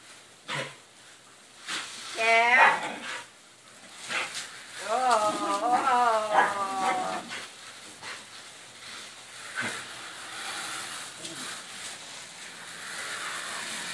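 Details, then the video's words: Pet female dog yelping excitedly at splashing, sprayed water: two bursts of high, wavering, harmonic yelps and whines, a short one, then a longer, repeated run, over steady hissing spray and splashes. "yelpy doggie water splash"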